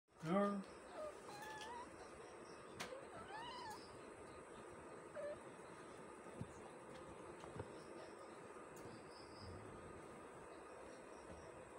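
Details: Kitten and its mother cat playing together; one loud, short meow opens, followed by a few fainter, higher rising-and-falling mews over a steady background hiss in a quiet room.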